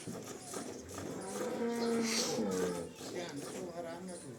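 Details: Cholistani Jersey cross cow offered for sale in Pakistan on March 12, 2025, giving a low, steady, drawn-out moo lasting about a second, with people talking nearby and general farmyard background noise.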